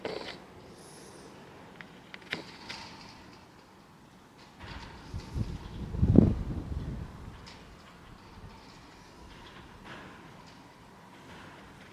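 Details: A low rumbling mechanical sound, like a sliding door or garage shutter moving, swells around the middle over faint background noise, with no animal calls.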